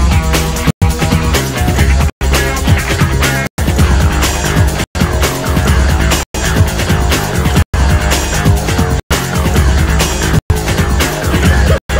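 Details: Loud, driving rock music in repeated bursts, cut by short silent gaps about every 1.4 seconds.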